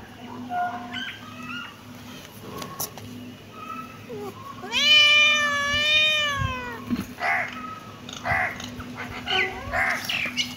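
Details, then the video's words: Cute kitten giving scattered faint, short mews, then one loud, long wavering meow that swells and fades, followed by more quiet brief mews over a constant low electrical hum. "cute kitten meowing"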